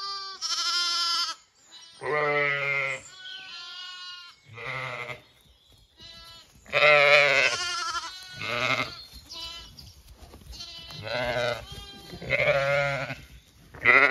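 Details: Lambs romping and exploring on a regenerative Irish farm in County Kilkenny while their mothers eat breakfast. A busy run of overlapping bleats, some long and steady, others quavering and higher-pitched, several animals calling in turn over fourteen seconds.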